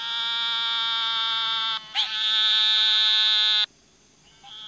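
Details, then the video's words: Frog giving a long, steady, high buzzing trill of about two seconds. A short break follows, then a second trill of similar length and pitch, and the sound cuts off near the end. "Frog sounds"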